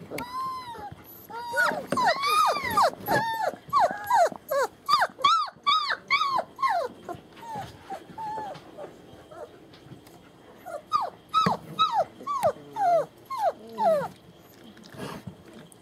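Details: A litter of German Shepherd puppies in Mayo, Florida, recorded 21 February 2015, giving loud arched whimpers and yelps in quick succession, several pups at once, briefly pausing mid-clip before renewed high whines.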